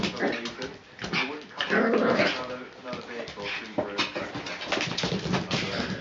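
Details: Miniature Schnauzers having the zoomies, racing about in play: short rough growls and sharp yelping bursts overlap with scrabbling and thumping, and human voices talk in the background.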